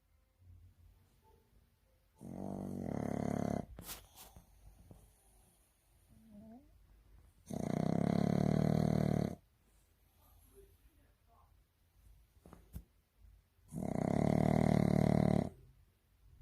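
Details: Sleeping pug snoring in loud, rough low-pitched bursts lasting about one and a half seconds, three snores spaced roughly six seconds apart with quiet breathing between them.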